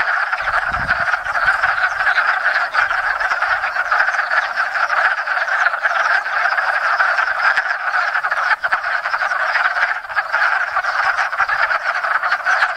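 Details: Spring breeding chorus of wood frogs at a pond in Enosburgh, hundreds of males and females arriving from surrounding woods; steady wall of rapid, rattling clucks, many callers overlapping, with a brief low thump near the start.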